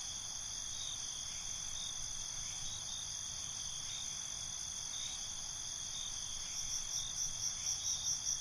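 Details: Crickets at night keep up a steady, high, ringing chorus; near the end a nearer cricket joins with a run of rapid, regularly pulsed chirps about five per second.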